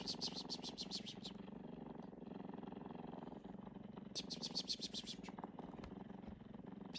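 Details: Talkative tabby cat purring close up, a steady low rumbling throb with fine rapid pulses, broken by brief bursts of higher hissing noise.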